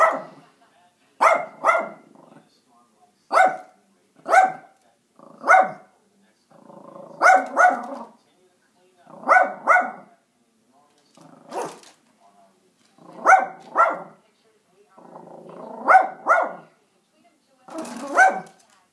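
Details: Little Yorkshire Terrier confronting a squirrel over bird food, barking steadily in sharp yaps, often in quick doubles, roughly every one to two seconds throughout, with a soft rumble between some barks.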